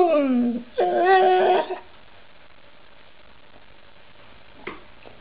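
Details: Dog from a compilation of talking snow dogs, giving one drawn-out, speech-like vocalization: a voiced sound sliding downward, then a louder steady wail, under two seconds in all, followed by near-silence indoors with one faint click.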